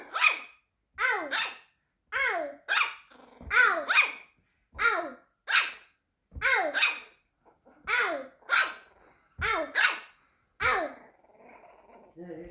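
A Yorkshire Terrier gives a run of high, yodelling, rising-and-falling vocalizations like talking.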